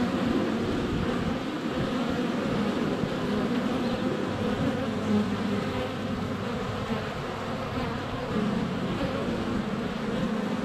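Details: Sunny February day at a honey bee hive entrance, a GoPro less than a foot away amid flying bees: continuous layered droning buzz, individual wingbeat tones rising and fading over a thick steady hum.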